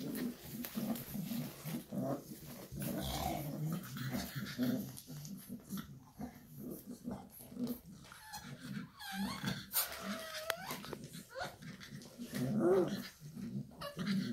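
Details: Shar Pei mother with her puppies, indoors; low rumbling growls and soft grunting run throughout, with brief higher whimpers and squeaks near the end, in a small room.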